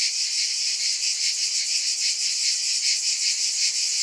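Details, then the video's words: Steady high hissing buzz of cicadas, an unbroken insect drone that throbs gently in quick regular waves, with nothing else heard beneath it. "Scintillating Cicadas"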